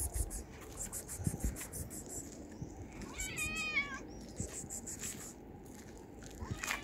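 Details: Stray tabby cat, male, pleading for food on the street; a single short wavering meow around the middle, amid clicks, rustling and background noise.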